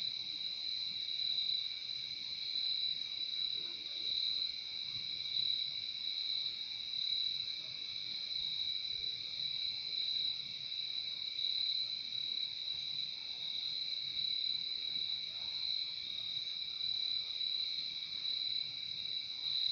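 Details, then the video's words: Crickets calling through the night as a steady, even, high buzzing trill with a softer lower band, constant in level and without gaps, over faint low background noise. "Relaxing sound of crickets"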